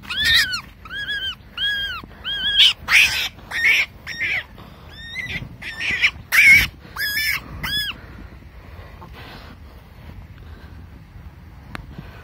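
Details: Baby wild rabbit screaming while being caught: a run of high, arched, tonal cries, each rising then falling, repeated about every half second for eight seconds, mixed with rustling thumps, then quiet.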